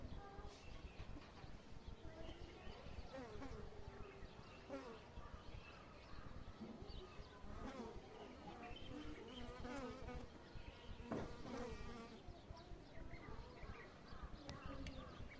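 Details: Apis cerana honey bees in Kashmir, new season, 10 February 2022: a continuous low droning buzz with scattered short bird chirps and occasional clicks over it.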